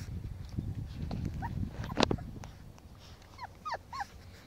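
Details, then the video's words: Five-week-old Pomsky puppies playing with a five-week-old Husky puppy; soft high whimpers and short yips rise and fall near the end, over low rumbling handling noise and scuffling. "5 Week old Pomskies playing with 5 Week old Husky."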